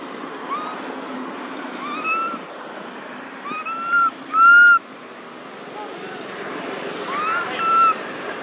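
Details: Baby monkey Thona, living in an archaeological park, calls for its mother Tara after losing all its friends: a series of clear, arched, whistle-like coos with bright overtones, the loudest held near the middle, over steady background hiss.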